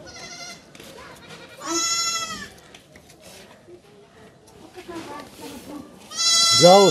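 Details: Kid goat undergoing castration cries out: a short bleat at the start, a strong drawn-out bleat soon after, and a loud, rising, shrill bleat at the end, with murmured voices and rustling in between.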